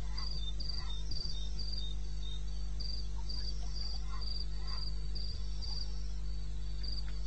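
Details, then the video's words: Cricket calling in the wilderness of eastern Botswana, recorded at 02:30 at night in May: short high chirping pulses repeated steadily, about four per second, over a constant low hum. "1 Hour cricket sound-Africa-No loop-Real recording"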